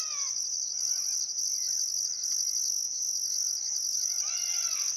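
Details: Crickets chirping on a still summer afternoon at sunset beside the Barcoo River, Welford National Park, Outback Queensland, Australia: a steady high continuous trill with a second pulsing band above, while faint birdcalls sweep through the background.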